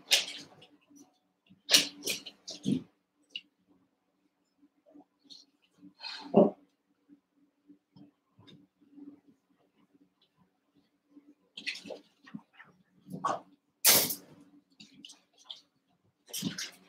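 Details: Eight young Cavalier King Charles Spaniel puppies, a month to seven weeks old, wrestling and playing together indoors in a pen; scattered short yips and squeaks between bursts of scuffling, over a faint steady low hum.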